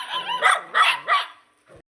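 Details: Dog on a morning walk path in India, one of a mother-and-puppies group fed since young. Three loud, clipped barks in quick succession, then near silence before a person shouts to shoo it away.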